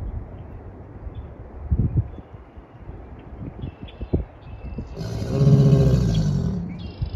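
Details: American alligator mating call from one of two alligators at Huntington Beach State Park, Murrells Inlet, South Carolina, on March 22, 2024: a deep, rough, rumbling bellow lasting over a second near the end. Scattered low knocks and background rumble come before it.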